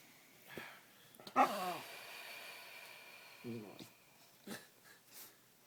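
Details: Dog making funny noises during play with a person: a loud, falling, harmonic yelp-like groan, then a shorter grumble a couple of seconds later, with soft breathing and faint voices.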